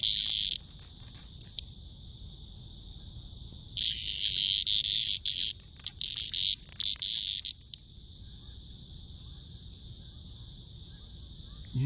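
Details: A cicada, apparently in poor shape, makes bursts of harsh, loud, high buzzing over a steady thin high whine, with irregular pulses and pauses.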